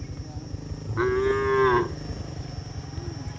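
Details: Cattle herded home to their stable through heavy rain in the countryside: one drawn-out, tonal moo of about a second, steady in pitch with a slight fall at the end, over a constant rhythmic low background.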